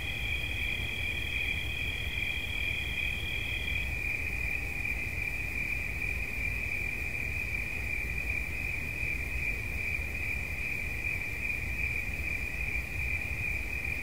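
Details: Steady high cricket trill. A second, higher tone drops out after about four seconds, leaving one shrill pulsing note that carries on over a low background rumble.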